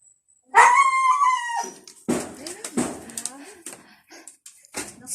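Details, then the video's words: Noisy dog indoors letting out a loud, squealing yelp that slides downward over about a second, followed by shorter broken whimpers mixed with human voices and room noise. "the noisy dog"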